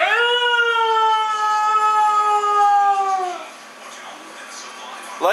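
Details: A talking husky named Mishka, shown with her sister Laika, gives a sustained, richly harmonic howl that holds steady for over three seconds before dipping at the end, followed by near-quiet and a short burst of voice.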